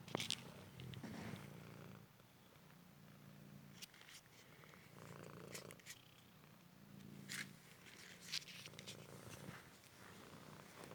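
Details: Male Cymric cat, found injured in the street and now recovered, purring while playing fetch at home; a steady low rumble rising and falling with each breath across the clip, dotted with brief clicks and rustles.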